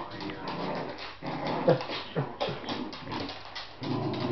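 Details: A 10-week-old Lhasa Apso puppy gives rough, throaty growls mixed with short whimpering yelps while being dragged around in play by a Patterdale cross.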